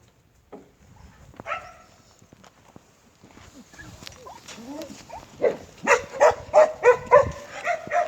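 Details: Native Jindo dog barking in a steady run of loud, evenly spaced barks, about three per second, after a quieter opening with faint murmuring and scattered background sounds.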